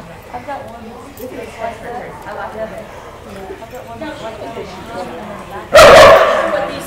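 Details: Australian Kelpie bitch nearing two years of age, tested for goat herding in the United States; one loud, abrupt bark bursts out near the end after several seconds of people conversing in the background.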